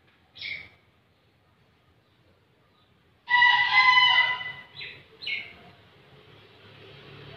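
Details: Bekisar, a rare fowl, crowing: a short high note, then after a pause a loud harmonic-rich crow lasting over a second, trailing into two brief higher notes; background otherwise quiet.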